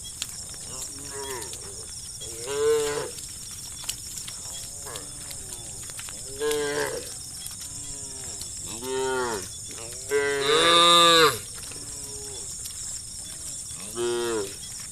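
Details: Shepherd's cows herded through a village toward the farm, lowing repeatedly: about a dozen moos of varying length and loudness from several animals, the loudest a long bellow near the end, over a steady high hiss.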